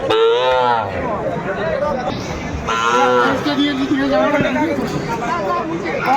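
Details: Sahiwal bulls traded at Chattogram, Bangladesh, 17 December 2024: two short, bright moos, one at the start and another about three seconds later, set among men talking prices and general crowd chatter.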